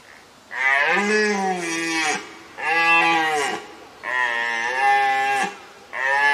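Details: A male red deer gives its mating call at the Grafenberg game park in Düsseldorf, Germany: a series of long, moaning roars, each dropping slightly in pitch.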